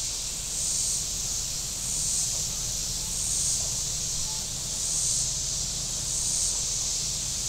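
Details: On a hot Saturday at Table Rock Lake in southern Missouri, shoreline cicadas keep up a bright, shimmering drone that pulses roughly every second and a quarter, while boat motors hum low in the background.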